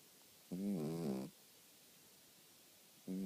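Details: Sleeping dog snoring: one drawn-out, droning harmonic snore lasting under a second with a slight wavering pitch, then a quiet pause before the next snore begins at the very end.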